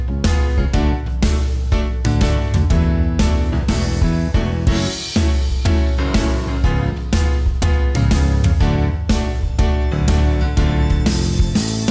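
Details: Upbeat background music with punchy repeated beats and piano plays throughout, with no animal voice heard.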